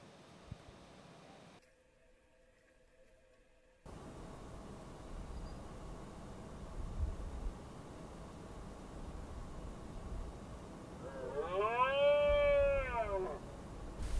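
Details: During the rut in the Cantabrian Mountains, on an afternoon after days of rain and cooler weather, a red deer stag gives a single drawn-out roar, rising then falling, over wind; several stags were roaring nearby.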